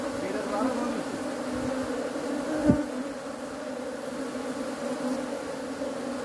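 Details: Honey bees produce a steady, low droning buzz throughout, broken once by a single sharp knock.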